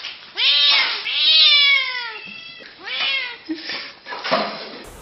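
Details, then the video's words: Domestic cat meowing: about four drawn-out, harmonic meows, the longest one falling in pitch over roughly a second, with short gaps between calls and faint background voices. "kucing mengeong lucu"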